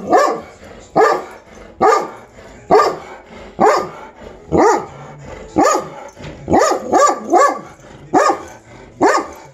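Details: A dog, worked up over squirrels on April 23, 2020, lets out a steady run of abrupt, punchy barks about every second, including a rapid three-bark cluster near the end, with little other sound.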